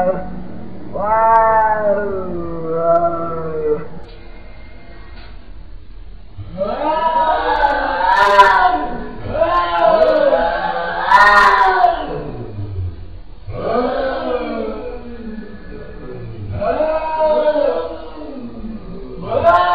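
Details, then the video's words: Cats talking to each other with a run of long, wavering meows and yowls, some rising and falling in pitch, in bursts separated by short pauses, with a couple of sharp clicks. "funny cats talking each other"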